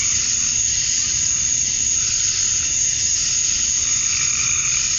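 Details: Male cicadas chirping to attract females at dusk on a summer night in Georgia, USA: a dense, steady, hissing high drone that never lets up, with faint rumbling low background noise.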